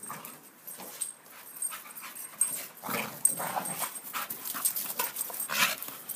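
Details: Two Staffordshire bull terriers, 19 and 9 months old, dancing: panting and snuffling in quick, breathy bursts with the odd soft whine.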